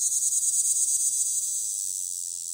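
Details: Short burst of a Magicicada tredecassini singing on a window, a shrill high whirring buzz with quick rhythmic pulses at first, then smoothing into a steadier drone as it fades slightly.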